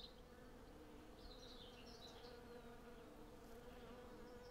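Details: Hundreds of western honey bees collecting honey from a blossoming cherry tree, a dense steady hum with a strong drone near 500 and lower tones, plus faint bird chirps high above.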